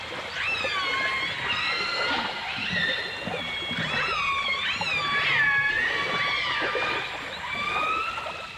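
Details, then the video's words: Dolphins and orcas from a 1989 full dimensional stereo recording: many overlapping whistles, rising, falling and looping tones layered continuously over a soft watery hiss, with several callers heard at once. "The Enchanting Sounds Of Dolphin Song (Dolphins & Orcas)"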